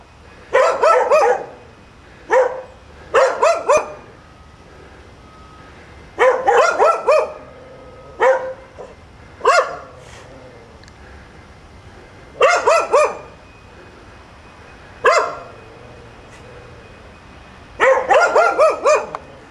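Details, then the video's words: Dogs left alone at the top of Chapman Rd barking as a nuisance while their owner is away; tight bursts of two to four sharp barks, separated by pauses of one to three seconds, over a quiet background. "nuisance barking dogs top of chapman rd."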